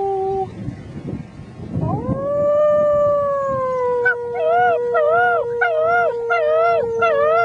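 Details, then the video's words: Howling six-week-old German Shepherd puppies with a person joining in: a brief tone, then a swelling howl that rises and holds steady, overlaid by rhythmic wavering, quavering notes repeated about every half second. "German Shepherd puppies sing the blues"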